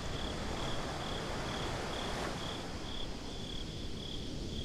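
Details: Nighttime beach crickets in a binaural recording give a string of evenly spaced high chirps over a continuous wash of surf and wind-like hiss.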